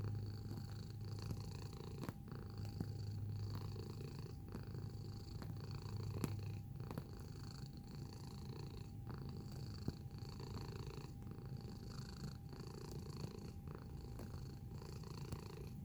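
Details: Sustained purring from a close-up cat over about sixteen seconds: a low, rough drone rising and falling with regular breaths about once a second, a couple of small clicks, and a steady faint hum.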